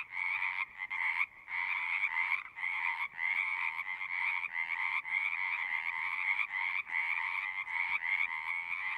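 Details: Many frogs singing together, a near-continuous trilled croaking chorus with brief irregular breaks, calls pulsing and overlapping throughout.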